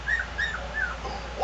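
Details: A Cocker Spaniel, excited while watching a dog show on TV, whines in high, thin, arching notes repeated about three times a second.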